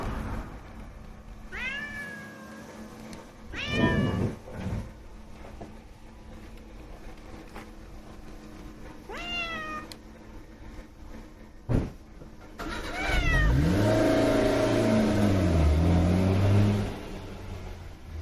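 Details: Calico neighbourhood cat meowing four times at uneven intervals, each a short call that sweeps down in pitch, with rustling and handling noise toward the end.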